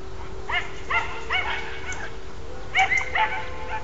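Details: Podengo Português hound trained for hunting wild rabbit, two quick clusters of high-pitched yipping barks, three to four yelps each, separated by a brief gap, far off in open country.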